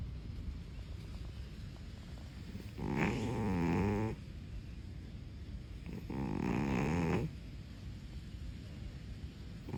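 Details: A sleeping cat snoring: two long rasping breaths, each about a second and a half, separated by quiet pauses of about two seconds, over a low steady background hum.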